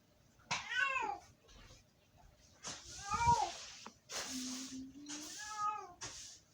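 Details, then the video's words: Domestic cat named Sofie screaming indoors: three drawn-out, strongly harmonic wailing meows about two seconds apart, separated by breathy hissing noise and a low steady hum. "cat screaming"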